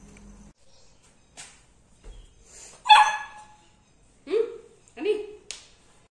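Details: Three-month-old Labrador Retriever puppy giving a few short, sharp barks, with one louder bark near the middle followed by two quicker ones, spaced by brief pauses; some faint background noises between them.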